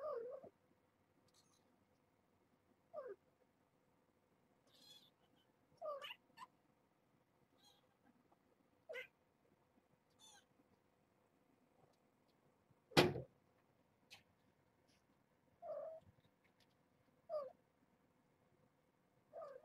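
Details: Nala Se, a year-old former stray domestic cat with her litter of kittens at Purrfect Pals, calling in the morning to wake them; short rising-falling meows recur every two to three seconds indoors, with a louder sharp cry near the end.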